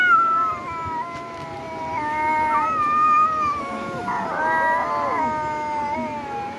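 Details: Domestic cat giving a long, drawn-out wavering yowl that slides up and down in pitch for several seconds, with a rougher, more strained stretch near the end; no other clear sounds.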